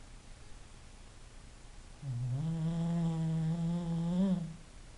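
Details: One low, steady, droning snore from a sleeping English Bulldog, starting after two seconds of quiet and holding for about two and a half seconds with a slight lift at the end.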